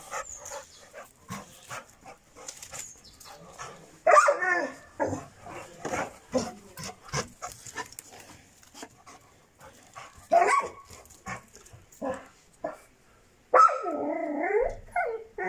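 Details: Šarplaninac puppy named Bitzer, six months old, gives three short strained yelping barks spread across the recording, with soft clicking and rustling handling noise filling the gaps between them.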